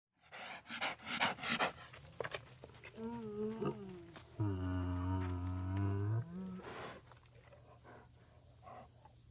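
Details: An American black bear sniffs in rough, breathy puffs and licks, then gives low, drawn-out, light groaning moans.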